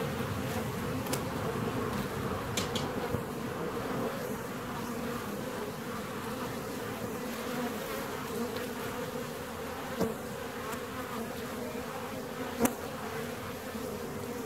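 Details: Massed buzzing of a honey bee colony in its hive, seventeen days after a split, droning steadily throughout with occasional sharp clicks, the loudest near the end.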